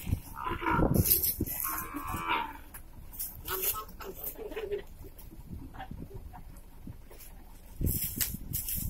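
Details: Beef cattle being moved from Class I Batu prison to the open Class IIB prison at Nusakambangan, Indonesia; a deep, low moo sounds near the start, amid clattering, handling noise and voices.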